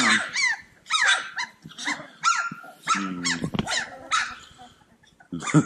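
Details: Cane Corso puppies at play: sharp rising-and-falling yips in short bursts, separated by brief gaps, with a low rumbling growl around three seconds and a final clatter of squeaks.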